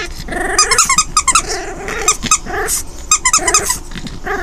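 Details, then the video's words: Delia, an orphan foster puppy aged five weeks, plays alone with toys; short rising growls interleave with bright rapid squeaks from the toy, repeated in several bursts. "5 week old puppy playing with toys"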